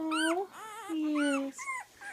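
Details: One-day-old blue Weimaraner puppies from a litter of 11 born April 25, 2014, held up in hand. They give high, whining whimpers, several arched rising-then-falling cries in quick succession, with faint background noise.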